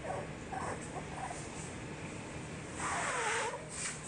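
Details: Playing Cocker Spaniel puppies make a few brief, high-pitched squeaks and yips in quick succession, then a longer, louder whine that bends downward, over a steady background hiss.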